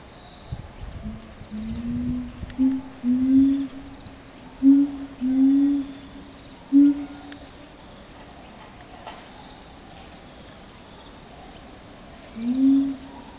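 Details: Chimpanzee family group led by the male Ryu, with twin young females, in a troop that communicates by playing and grooming; low, soft hooting notes at a steady pitch, five in eight seconds, then one more after a pause.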